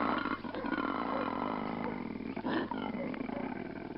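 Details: A koala, chased up a tree by dogs, gives a deep, rasping, roar-like bellow that sounds far bigger than the animal.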